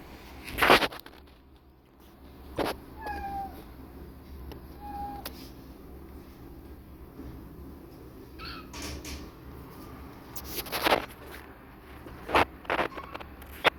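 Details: Protective mother cat with kittens, defensive after a mysterious noise; short soft meows around three and five seconds, then sharp broadband bursts and clicks later, low hum throughout.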